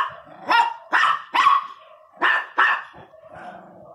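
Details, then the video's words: Angry Miniature Pinscher barking, sharp harsh barks in two quick bursts of three and two, then a softer trailing grumble. "pinscher 1 bravo latindo"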